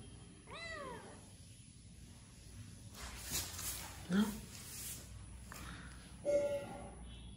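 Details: Domestic cat with one short, clear arching meow at the start, followed by scattered knocks, thuds and brief indistinct human sounds in a quiet room.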